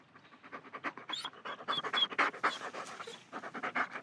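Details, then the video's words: German Shepherd panting in rapid, breathy bursts about four per second, harsh and airy throughout, with a few brief high thin whines breaking through the breaths near the middle. "Dog German Shepherd Pants Whines Mvs"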